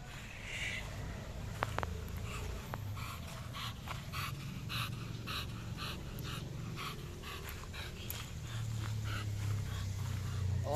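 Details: American Bully dog named Coco Melon from Kagawad Kennels, out in the sun for walking and running exercise, panting fast at about three to four breaths a second in rough, breathy bursts over a low steady rumble, with a few sharp clicks early on.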